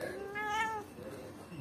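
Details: Domestic cat giving a single drawn-out, wavering meow lasting under a second, with rich harmonics, while a woman speaks Arabic just before and after.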